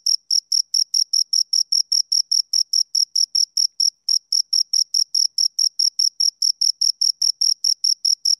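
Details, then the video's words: Rapid high-pitched pulses from a pair of crickets, about four a second, interrupted by one short gap partway through; clean, quiet setting. "Two Crickets Chirp Sounds"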